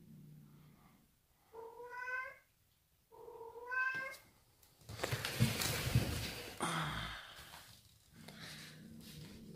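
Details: Bengal cat named Sid, frightened by a new bride, gives two drawn-out, harmonic, slightly rising meows about a second apart, followed by loud broadband rustling and handling noise in a small indoor room.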